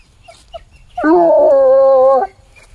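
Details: Bluetick Coonhound baying in the woods while tracking a scent found on a walk to a tree. One sustained, drawn-out bay of about a second, rich and harmonic, dipping slightly at the start, then holding steady before cutting off.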